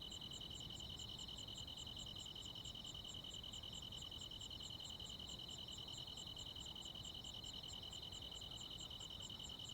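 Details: ['Rural midsummer night insect chorus led by crickets: an unbroken high-pitched trill and a separate bright chirp repeating steadily about twice a second, with a quiet low hiss underneath.']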